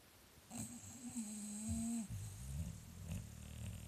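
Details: English Bulldog in a snoring contest: one long, steady, low rasping snore lasting about a second and a half, with a thin high whistle riding over it, then softer, shorter breaths trailing off indoors.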